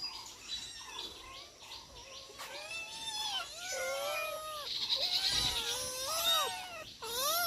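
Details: Domestic cats, four of them, calling while being fed: a run of short, bending mews rising and falling in pitch, some drawn out, over high repeated bird chirps in the background.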